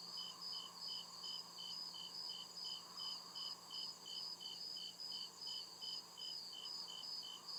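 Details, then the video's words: Crickets chirping at night in deep woods: steady pulsed high trills repeating about two to three times a second, with a second continuous high band above and a soft low hum beneath. "CRICKET CHIRPING SOUND"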